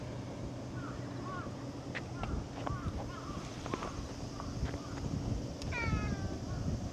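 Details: A cat makes a run of brief chirping little calls, then a longer tonal meow near the end, over low rumbling background noise with faint voices and clicks.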